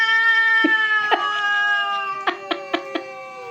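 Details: Domestic cats in a fight, giving a long, steady, nasal yowl that wavers slightly in pitch and holds for over three seconds, broken by several short sharp clicks or thumps; people shouting and laughing nearby.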